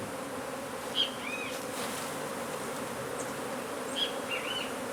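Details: Honey bees buzzing from a hive beneath a wood pile in McAllen, Texas, as the colony is removed and relocated: a continuous even drone, with two short high chirps, one about every three seconds.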